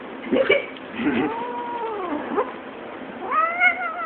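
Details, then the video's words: Domestic cat yodeling: long wavering meows that rise and fall in pitch, drawn-out warbling tones with a sharper upturned call near the end. "Cat yodeling"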